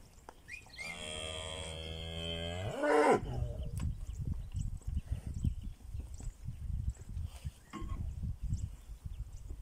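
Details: Pinzgauer cattle moving to summer pasture on a rainy South African morning; one drawn-out, rising harmonic moo lasting about two seconds and ending in a hoarse break, followed by a steady patter of hooves on the ground.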